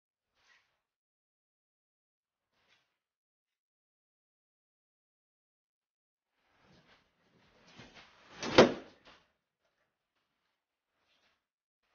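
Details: Near silence indoors, broken by faint taps and rustles and then a single loud sliding-door thump and rattle at about eight seconds, with no animal voice heard.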